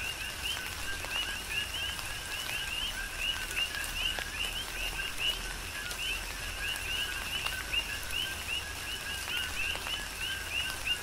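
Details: Tropical rain on the Big Island of Hawaii with a steady chorus of coqui frogs, whose clipped rising chirps repeat densely throughout, mixed with rain on surfaces and occasional loud drips.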